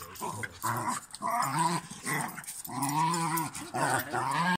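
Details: West Highland White Terrier puppies and two Cairn Terriers play together, yapping and growling in bursts, with rising-and-falling whines between higher barks, the pups pushing their luck with the older dogs; all friendly in the end.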